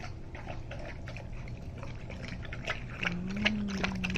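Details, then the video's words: Greater Swiss Mountain Dog Rousseau laps up a homemade turkey and vegetable soup, a fast run of wet slurping clicks, joined near the end by a steady low tone under the lapping. "Rousseau eating soup - Greater Swiss Mountain Dog"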